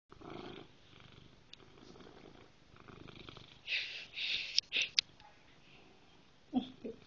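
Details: Old female domestic cat that has sucked her thumb since kittenhood, purring softly while suckling, with a woman's voice talking to her and brief louder rustling bursts midway.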